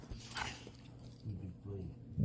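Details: A dog growling at playtime, in a household with a Weimaraner, a Dutch Shepherd and a Plott Hound: low, rough rumbling in two stretches, with a woman's voice speaking just before and after.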